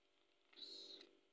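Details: Scottish Fold female kept indoors, always staying with her owner and crying, during a feeding: one short, thin, high-pitched mew of about half a second, steady in tone, in a quiet room with faint voice nearby.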